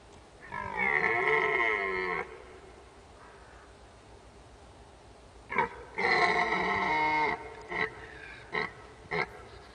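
A red deer gives long, rich, harmonic roars, each lasting over a second, followed by shorter grunting bursts.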